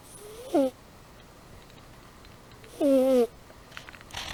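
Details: Amy the cat snores while asleep: a short whistled snore, then a longer, slightly falling one about two seconds later, both with breathy hiss, followed by faint rustling.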